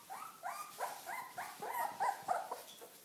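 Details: Welsh Corgi puppies out on their first walk give a steady string of short, clear, harmonic yelps, about three or four per second, each with a slight downward bend, over low background hiss.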